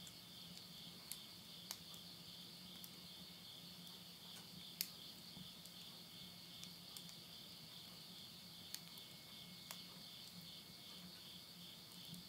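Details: Late-summer insects calling at midnight in countryside Tottori, Japan, September 2020, with a stove fire nearby: a dense, even high-pitched buzz throughout, punctuated by sharp crackling pops from burning wood roughly every second or two.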